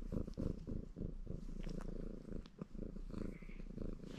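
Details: Baron, a red Maine Coon tomcat, purrs contentedly during his wash; a loud, rapid, pulsing low purr with uneven breath cycles and soft grooming clicks throughout.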